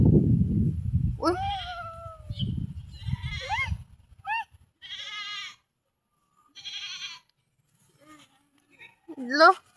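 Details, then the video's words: Goats at feeding, with a person talking at the start; then come several short, nasal, quavering bleats at irregular intervals, ending with a sharp rising call. "Pakain ng kambing"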